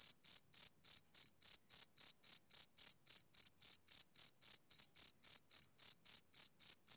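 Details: A male cricket chirps through a summer evening, each short shrill pulse repeated at a quick regular pace of nearly four per second, alone against complete quiet.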